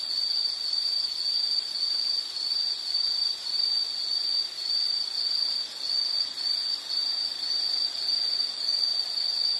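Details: Rhythmic high-pitched insect chirping, short pulses repeated in an even series, over quiet natural background noise.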